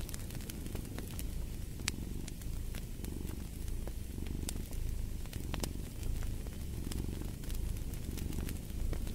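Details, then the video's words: Steady rumbling purr of a cat, a throbbing low hum that swells rhythmically about every second, set against the dry popping and crackling of a fireplace. "Fall asleep to the Purring of a Cat"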